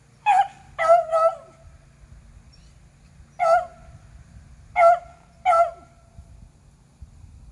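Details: Beagles Athena, Zeus and River, two aged eleven and one aged three, hunting squirrels in April: loud, tonal baying barks in short bursts, a quick pair and triple, then single yelps spaced about a second or more apart over quiet low rumble.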